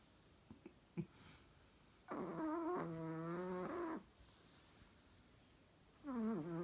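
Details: A Chihuahua snores loudly. A few soft taps come first, then a two-second whistling, harmonic snore whose pitch steps down midway, followed by the start of another wavering snore.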